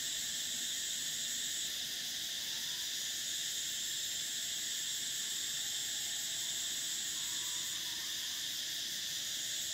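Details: A constant shrill cicada buzz, the sound of summer. Its highest whining band briefly dips and returns twice over a steady hissing background.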